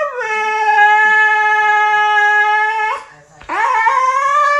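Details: A Siberian Husky howls dramatically for its owner's attention: a long, steady howl, then a second howl that swoops upward.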